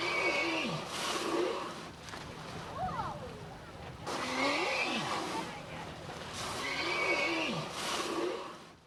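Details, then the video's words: A friendly humpback whale near a boat makes rare noises through its blowholes: sweeping moans that rise and fall, with bursts of broadband noise between calls. "COLT THE HUMPBACK WHALE CSI ADOPTION - COLT MAKES SOME NOISE"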